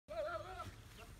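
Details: Goat returning from grazing on a farm: a single wavering, nasal bleat lasting about half a second, with a quivering tremolo, over low background rumble.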